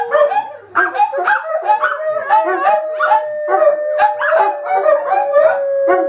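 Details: A group of dogs howls in chorus on October 18, 2012, overlapping wavering tones broken by short yips, with one steady held note running underneath throughout.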